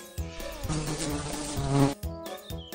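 A dragonfly gives a low, droning wing buzz that holds for nearly two seconds, then breaks into a few short buzzy bursts.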